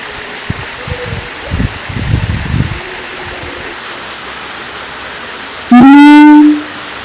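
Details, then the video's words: Siamang at Taman Kyai Langgeng in Magelang, Indonesia: after several seconds of faint low knocks and rustling, one loud, brassy call with a rich harmonic tone rises slightly and holds for under a second, then stops abruptly. "suara asli siamang kera gondok"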